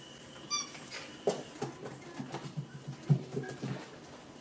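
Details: Rainy and Fancy puppies, six weeks old, romping together in their pen, giving a run of low growly grunts and short yelps roughly every few tenths of a second, with one high squeak early on, indoors.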